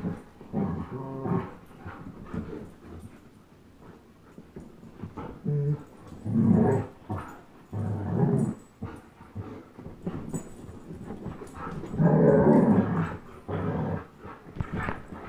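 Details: During a tug-of-war game between two young pet dogs, German Shepherd Chase and Old English Sheepdog Blizzard, low growls rise and fade several times, the loudest long rumble near the end, with clattering and shuffling between.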